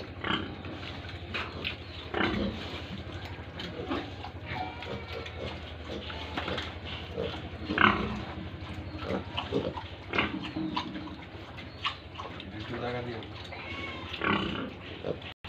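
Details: Pigs and piglets at a pig farm in Tripura, a dense mix of short grunts and occasional squeals over steady low background hum, with one louder squeal near the middle.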